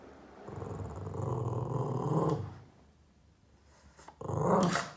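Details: Boston Terrier growling at shadows it chases on the wall, upset: a deep, rough, continuous growl for about two seconds, a quieter pause, then a louder snarling burst rising at the end.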